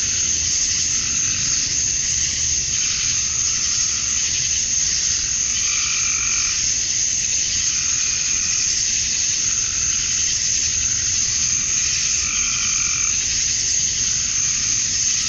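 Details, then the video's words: Male cicadas chirping at dusk on a Georgia, USA summer night to attract females: an endless shrill, hissing drone, with lower pulsing tones swelling at intervals of roughly six seconds. "Cicadas at Dusk, Summer Night"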